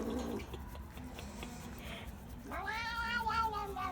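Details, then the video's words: Obese domestic shorthair male cat at an animal shelter in Philadelphia, US, vocalising in enjoyment while his rump is scratched: after muffled rustling, a drawn-out harmonic rising-then-falling yowl from about 2.5 seconds, over low background hum. "Cat Makes Weird Noise When It's Butt Gets Scratched"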